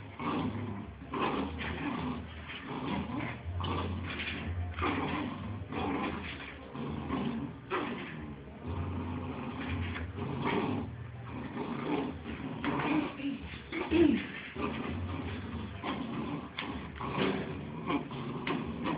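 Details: Pair of Bull Terrier puppies at play: a long run of gruff growls, huffs and small yips, coming in quick uneven bursts amid scrabbling and bumping sounds, with a low background hum.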